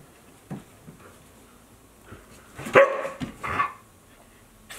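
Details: Playful Akita Inu pair, a 14-month-old and a 2-month-old puppy, recorded in 2023. Soft faint sounds give way to a short burst of barks and growly yips near the middle, then quiet.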